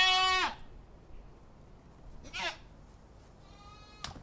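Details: A goat gives a single loud, strained bleat lasting half a second, followed by faint distant bleats and near silence.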